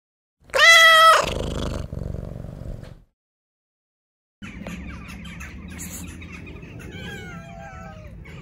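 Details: A stray tabby cat with a sad-looking face gives one loud, drawn-out meow, asking for affection rather than food.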